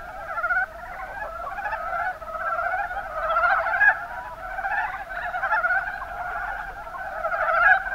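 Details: Kuma Basin, Kumamoto Prefecture, Japan: a group of Mountain brown frogs (Rana ornativentris) produce a steady chuckling chorus, rapid low pulsed croaks overlapping throughout, with occasional louder individual calls standing out.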